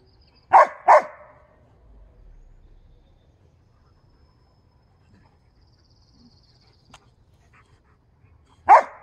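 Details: Dogs, a husky and a briard, at home: a quick pair of sharp barks near the start, then quiet with faint room sounds, and one more loud bark at the very end.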